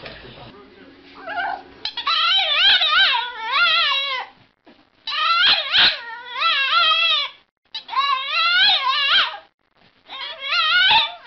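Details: Pet dog vocalizing in a series of wavering, yodel-like howls in four long bursts separated by short pauses, each bending up and down in pitch; a person talks to it briefly at the start.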